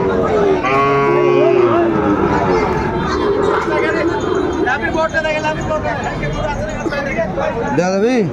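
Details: Sahiwal bull at a cattle market in Munshiganj, Bangladesh, on 28 February 2025: a long, low, droning moo holds steady over the first seconds, with loud crowd chatter and bargaining voices throughout.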